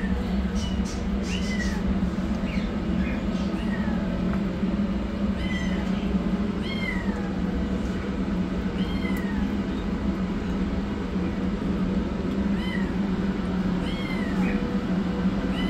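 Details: Rescued yellow kitten runs for food as a black kitten starts receiving treatment; frequent shrill, downward-curving meows, roughly one per second, ring out against a persistent low engine-like drone.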